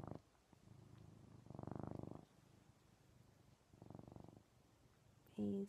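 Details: Indoor male pet cat purring loud while cuddled up with its owner; low throbbing purr rises in three separate swells, with quieter gaps between, then a brief burst of human voice at the very end.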